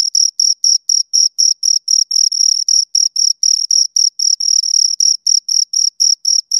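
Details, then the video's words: Close recording of two crickets making rapid, bright, high-pitched chirps at roughly four per second, a few stretched into brief trills, nothing else audible. "Two Crickets Chirp Sounds"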